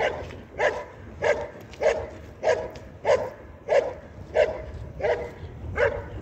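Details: Belgian Malinois competing at IPG 2 level in a 2023 regional trial in Sin-le-Noble, France, giving ten steady, evenly spaced barks about every 0.6 seconds, each short and forceful, with faint crowd noise beneath.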